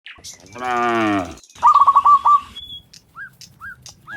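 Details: Cows, dozens of them, walking home from the fields to the pen in the afternoon; one harmonic moo lasting under a second, followed by a bird's rapid chirping trill and short whistled notes.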